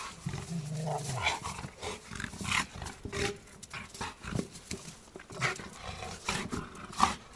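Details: Zhenya, a male Rottweiler in the care of a Rottweiler rescue team, gives a short, low, rumbling growl near the start, then scattered thumps and clattering noises with occasional human voices.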